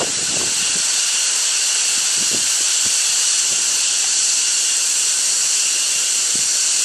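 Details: A steady, intense hissing drone from insects in China, high and buzzy with stacked bands, continuous and unchanging from start to end, with only faint low thumps underneath.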